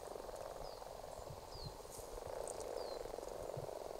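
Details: A congregation of common frogs breeding in a ditch in Argyll, February 2018: a steady, massed purring croak chorus throughout, with a few faint thin high bird calls sliding downward above it.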